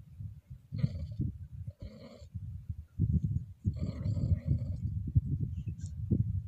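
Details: A Scottish Fold cat in heat, gently stroked, gives drawn-out, nasal moaning yowls deep in the throat over close rustling.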